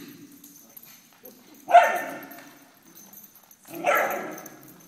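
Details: Golden Retriever puppy, 22 weeks old, at a puppy class: two short, loud barks roughly two seconds apart, with quiet room noise between them.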